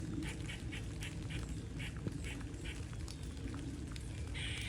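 A squirrel gives a quick run of sharp, nasal chucks, repeated several times a second.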